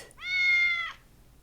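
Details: A lone house cat meows once, a smooth sustained note lasting close to a second, even in pitch and trailing off softly, against near silence.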